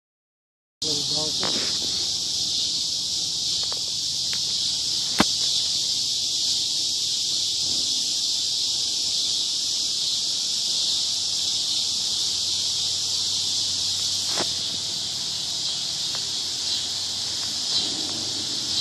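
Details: Cicadas in Basehor, Kansas, keep up a steady, unbroken high-pitched buzzing drone that holds at the same loudness from start to finish, with only a few faint ticks and rustles beneath it.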